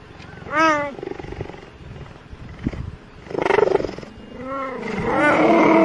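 A cheetah gives several clear, rising-and-falling meows, much like a house cat's.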